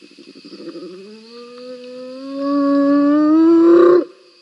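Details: Spotted hyenas fighting at Rosie's Pan, captured by a live cam on 7 November 2021. Stuttering grunts swell into a long, loud, harmonic squeal that climbs steadily in pitch and cuts off sharply after four seconds, with faint insects behind.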